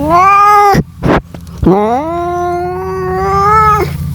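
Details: Mate-calling cat: one falling meow, a short break, then a long, level, sustained wail held for about two seconds before it breaks off, over a faint low hum.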